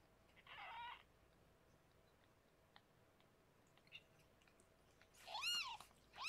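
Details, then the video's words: Rescued pregnant foster cat Harlequin giving birth to six kittens indoors; after a soft buzzy burst and near silence, two high, thin, arched mews ring out close together near the end in a quiet room. "Rescued pregnant Kitty Harlequin gives birth to 6 kittens!"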